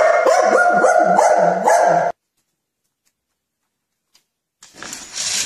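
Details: Dog playing with cars gives a rapid run of about six high, ringing, yappy barks packed into two seconds, then falls silent before a burst of rustling noise.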